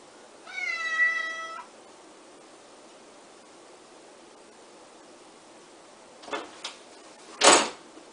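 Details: Bengal cat giving one clear, drawn-out meow lasting about a second, steady in pitch and rich in harmonics, then a few seconds of quiet followed by two short knocking bumps.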